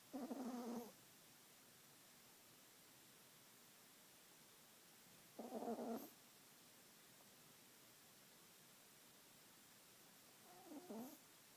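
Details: Lillie, a pet dog, snoring after a long day of play outside: three rough, buzzy snores spaced about five seconds apart, the last one softer, with quiet stillness between them.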